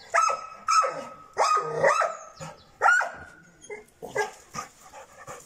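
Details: Young Šarplaninac called Bitzer, aged six months, barks loudly and repeatedly, about five ringing barks close together, then softer yips fading into background noise.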